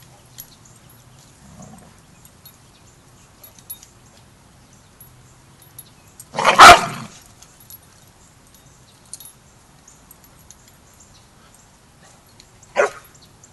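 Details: Border Collie at a boot camp where Rammstein, a young pup new to pack etiquette, meets the pack: a quiet stretch broken by one sharp, loud bark near the middle and a second shorter bark at the end.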